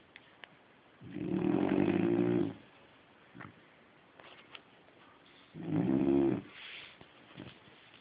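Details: Sleeping Labrador Retriever snoring, recorded on a phone: two long, rough, rumbling breaths about four to five seconds apart, each lasting over a second, with quiet room background between them.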